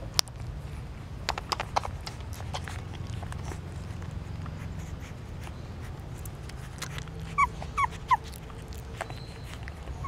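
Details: Newborn puppies suckle their mother's milk at a pagoda stupa in Siem Reap, Cambodia; soft wet clicking of feeding runs throughout, then three short, high, squeaky whimpers come quickly near the end over a low background hum.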